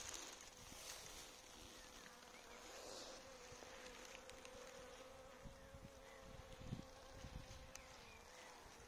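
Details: Honey bees at an apiary fed caffeine through coffee; quiet, steady humming drone with a constant tone throughout, soft crackles and faint outdoor background.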